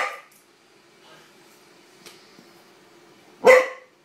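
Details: A Corgi, reacting to a wind-up toy horse set down on the floor, gives a short bark, then a louder, sharper single bark after a quiet pause.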